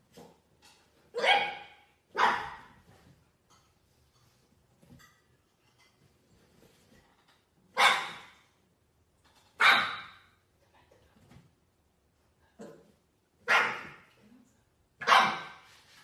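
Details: Indoors, French Bulldog puppies bark in irregular bursts, seven sharp, raspy barks over sixteen seconds, some in quick pairs, with soft snuffling and faint yips between them.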